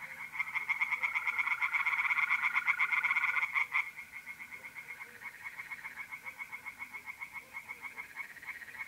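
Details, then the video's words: Several tree frogs calling together at a pond on an April night, north-east Italy: loud overlapping pulse trains, then a fainter frog keeps pulsing in the background, all above a steady trilling of mole crickets. "relaxing singing tree frogs in pond and trilling mole crickets by night"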